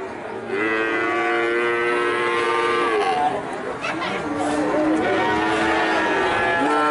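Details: Several cattle mooing at a livestock sale, drawn-out harmonic moos overlapping one another, some rising then falling, with a steady background murmur of people and activity.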